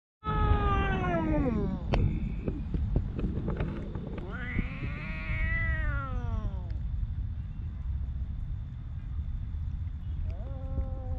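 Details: Stray homeless cat in Ras Al Khaimah, UAE, giving long drawn meows, one falling then one arched rising-falling wail, over steady low rumbling traffic-like background noise.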